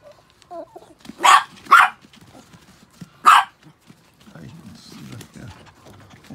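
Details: Pet Chihuahuas, six in the household, just shampooed: two quick, sharp yaps, a pause, then a third bark, followed by low rustling and shuffling.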